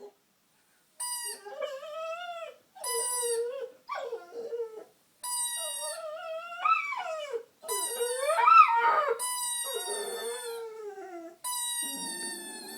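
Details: A female pet dog, playing with a squeaker pulled from a toy while being teased, sings in long wavering, rising and falling howls, repeated in phrases broken by short pauses, with squeaker tones overlapping.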